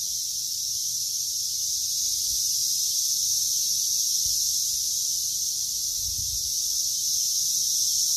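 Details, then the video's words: Continuous high, hissing cicada drone over a cut lawn, unbroken and even in loudness throughout, with a couple of soft low thumps in the background. "Grass Cutting Time-lapse Complete With Cicada Sound"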